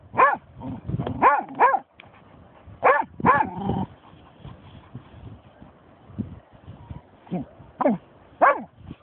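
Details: Snoop, a German Shorthaired Pointer finding a dead seagull, lets out bursts of sharp rising-falling barks and yips, clustered in groups of two or three, with a human voice heard between them.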